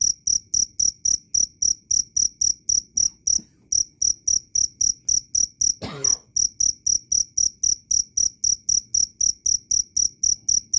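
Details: Loud, clear cricket chirping used as a songbird training master: high, ringing pulses repeated around four per second, with a brief pause near the middle and one sharp click interrupting the rhythm shortly after.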